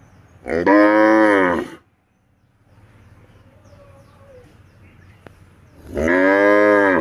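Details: Bullock in a farm cowshed in India, recorded on CCTV as three bullocks are untied. Two loud, deep, level moos about five seconds apart, with a quiet background hum and a faint click between them.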